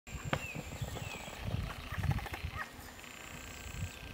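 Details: Green frogs of the genus Pelophylax at fishponds in the Drage valley, recorded 12 June 2022: quiet pulsed croaking rattles in low bursts, with a thin high whistle, a gliding mid-pitched note and outdoor background noise.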